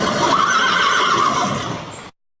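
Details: Horse neighing, heard in a children's animal-sounds lesson: a sustained whinny lasting about two seconds, steady and loud, with a faint wavering tone, ending abruptly in silence.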